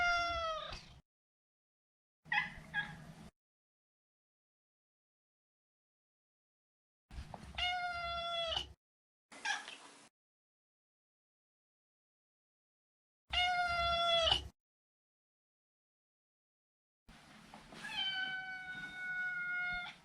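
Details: Repeated meows from Maro, a neutered male Maine Coon, each clear and harmonic with a slight downward slide, spaced several seconds apart with silence between, plus one brief noisy burst.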